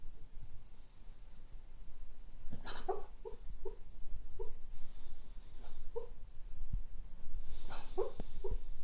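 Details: Cocker spaniel asleep and dreaming, giving a rapid run of soft, short muffled woofs roughly twice a second, with two louder breathy yelps near the start and end.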